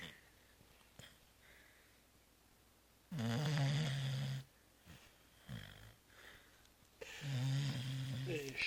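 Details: Zoé the cat, sound asleep at home after Christmas Eve festivities and Christmas brunch, snoring: two long, low rasping snores a few seconds apart, each a steady droning buzz lasting about a second, with quiet room noise between.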